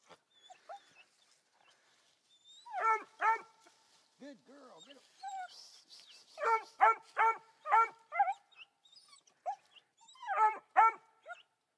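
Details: Three-month-old female Black and Tan Coonhound puppy barking at a raccoon up a tree, the first she has seen. Short bursts of loud, harmonic barks in clusters, with softer whines between, and a man's voice praising her.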